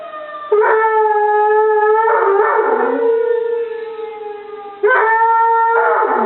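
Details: Dog named Molly battling a tornado siren, howling in long sustained tones; overlapping wails swell and fade, one dipping lower around the middle, before a fresh loud howl starts near the end.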